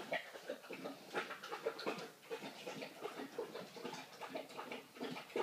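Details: Three-week-old puppies indoors just after feeding; busy overlapping high whimpers, squeaks and snuffling grunts from several pups, about three bursts a second, with soft scuffling.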